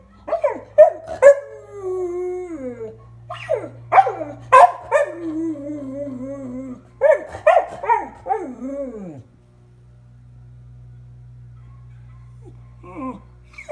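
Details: Male standard American Eskimo Dog, 6.5 years old, howling mournfully for his two late house siblings: short yips rising into drawn-out, falling howls in three bouts, then quiet with a steady low hum and a final brief yelp.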